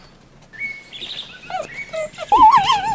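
A fox gives high, thin whines that waver up and down in pitch.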